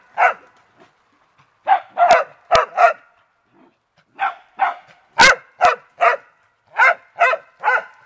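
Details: Beagles and dachshunds, including a red dachshund, playing in water; sharp barks come in bursts of two or three, about fourteen in all, with a couple of loud slaps or splashes midway.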